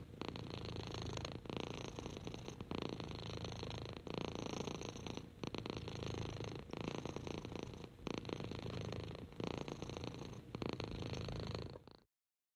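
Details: Contented purring of an orange six-month-old kitten named Henry as he is petted; steady low rumbling cycles of about one to two seconds for twelve seconds, then the sound stops abruptly.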